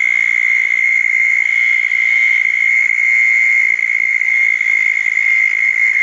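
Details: Southern toad trilling at a small pond after a thunderstorm on the night of June 10, 2014. One unbroken, high, even buzzing trill fills the whole stretch with faint background hiss.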